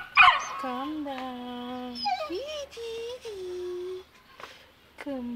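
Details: Whimpering from a two-month-old Saint Bernard puppy too scared to descend the stairs: long, steady, nasal whines, one dipping and rising again, broken by a sharp squeak at the start and a breathy sound near the end.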